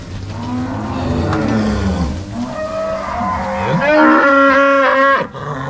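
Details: Angus-Nelore crossbred cows moved from corral to pasture by three cowboys and six dogs in Paraná, March 2022; overlapping bellowing moos, one ending in a louder, higher, strained bellow near the end.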